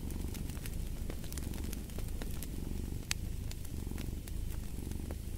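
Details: Deep rumbling purr of a cat, steady and unbroken, pulsing softly with its breathing, while a fireplace crackles and snaps in the background with one louder pop.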